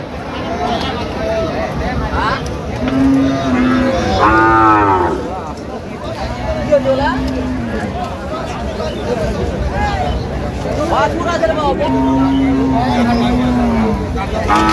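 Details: Lean, bony cows for sale at the Aftabganj cattle market on 1 November: three low, drawn-out moos rising and falling, spaced several seconds apart, over steady crowd chatter and bargaining voices.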